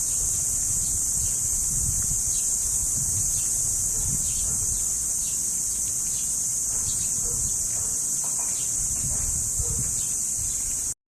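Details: Cricket, locally called kuliglig, in a mountain setting: a continuous, steady high-pitched ringing trill without breaks throughout, over a low rumbling background.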